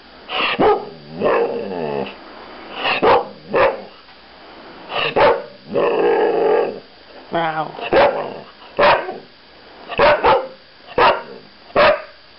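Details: Thai Ridgeback female Taya chattering indoors: a run of short sharp barks and yips mixed with several longer warbling, groaning moans that waver in pitch, about a dozen outbursts over twelve seconds.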